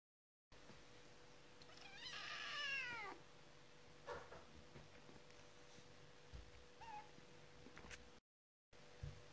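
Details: Kitten meowing: one drawn-out, rising-then-falling meow of about a second, then faint short squeaks and small knocks in a quiet room with a steady faint hum.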